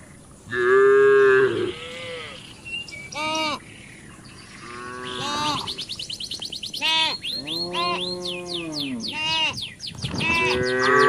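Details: Cattle raiding residents' green grass and grazing: several drawn-out moos of varying pitch, some long and level, others short and bending, with quick high chirping calls threaded between them.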